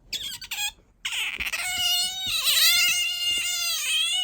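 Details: Bingo the otter, kept as a pet, voicing a drawn-out whining squeak when sleepy or seeking affection; a few short chirps first, then one long wavering cry that dips and steadies.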